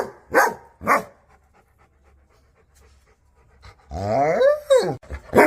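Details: Angry dog giving two sharp barks, then a pause, followed by a long drawn-out whining howl that rises and falls before another bark.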